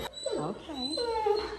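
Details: Tonka, a giant Alaskan Malamute, chats with staff inside a veterinary office, excited during his visit. He gives a wavering, moaning woo-woo talk in two phrases that swoop up and down in pitch, with quiet indoor room tone behind.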